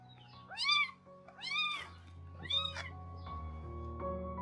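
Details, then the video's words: Kitten meowing at breakfast time while its mother, a young stray cat, interrupts her meal to check on it; three loud rising-then-falling meows about a second apart, then a faint fourth, over soft background music. "Kohaku đang kêu meo"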